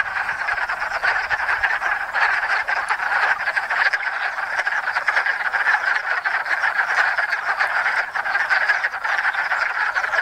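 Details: Spring chorus of hundreds of wood frogs gathered to mate at a little pond in Enosburgh, the first frogs calling each year; a thick wall of short, duck-like clucking croaks pulses steadily throughout.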